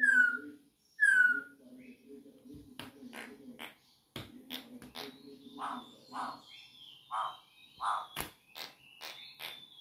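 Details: Campo troupial perched on a person's finger, singing two loud, clear descending whistled notes about a second apart, followed by clicks, tapping and a low steady hum with fainter chirps.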